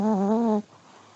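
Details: Old male Pomeranian dog asleep, letting out a steady, humming snore with gentle wobbles in pitch for about half a second before it cuts off into quiet background hiss.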